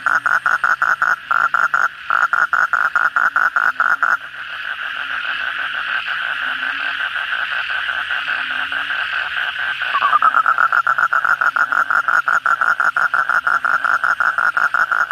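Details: At night after heavy rain, kodok bangkong toads call. Rapid buzzy pulses for four seconds give way to a dense continuous droning chorus. A rising, pulsed croak series then returns near the end, with fainter low croaks beneath.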